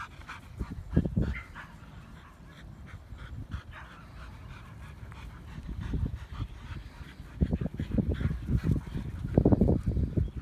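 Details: A Siberian Husky, out for evening exercise running in a grassy field, pants in short, rough, breathy bursts that cluster and grow louder, with rustling and thumps from movement through grass.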